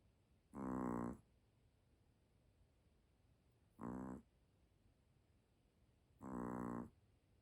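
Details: Sleeping puppy snoring: three buzzy, harmonic snorts about 2.7 seconds apart, each roughly half a second long, over a quiet, faintly hissing room background.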